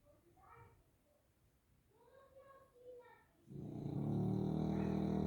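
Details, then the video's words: Quiet human voices talk first, then the bulldog Grizzly breaks into a loud, buzzing, pulsed snore that continues to the end. "Snoring Bulldog"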